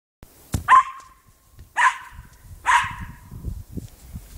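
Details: A Cairn Terrier barking while playing with a football: three sharp, bright barks spaced about a second apart, each with a quick falling tail, over light thumping and rustling from play.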